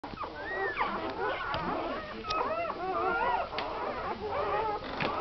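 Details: Newborn American Staffordshire Terrier puppies on their first day, from Tina's first litter of nine (seven females, two males) born Christmas Eve 2009, give overlapping high, wavering squeaks and whimpers that rise and fall continuously.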